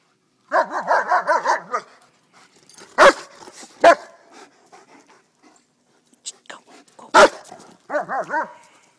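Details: White German Shepherd at play in a park gives a quick run of about six whining yips, then separate sharp barks spaced a second or more apart, and a final burst of yelping barks.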